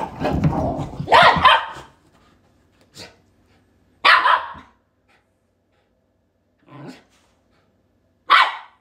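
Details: Shiba Inu, a pet dog, barking in loud broadband bursts: a long harsh burst in the first two seconds, then short barks near three, four, seven and eight seconds separated by quiet gaps.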